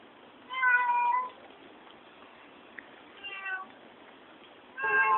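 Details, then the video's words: Pet cat described as talking, giving three drawn-out harmonic meows separated by short quiet gaps, the first falling slightly at its end, in a quiet indoor room. "Talking cat"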